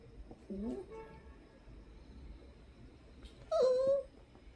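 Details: Poodle indoors making strange whining noises to be let up onto the sofa after being refused; two short tonal whimpers, the first rising and faint, the second louder, held and gently falling near the end.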